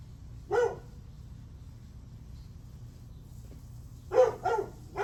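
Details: Morning dog barking, July 9, 8:38 am: one sharp bark, a quiet gap of several seconds, then two quick barks and the start of another at the end, with a low steady hum underneath.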